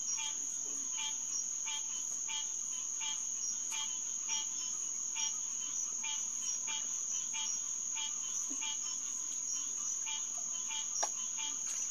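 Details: Chorus of green tree frogs (Hyla cinerea) at a boardwalk pond around 9 pm, June 2, 2021. A rapid, fairly regular string of twangy nasal notes rides over a continuous shrill insect hum.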